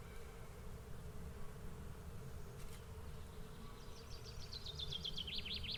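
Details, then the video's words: Low, even buzzing from a swarm of bees with one brief click near the middle. In the final seconds a bird breaks in with a rapid, descending series of repeated trilled notes. "Swarm of Bees Sound Effect"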